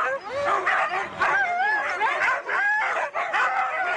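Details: Racing Siberian huskies in East Anglia produce wavering whines and high yips, several dogs crying over one another with short pauses near the start and middle.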